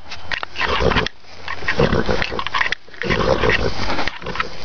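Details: Horse nickering just before being fed grain while the bucket is held in hand: loud, rough, pulsing low nickers in bursts of about a second, separated by brief pauses.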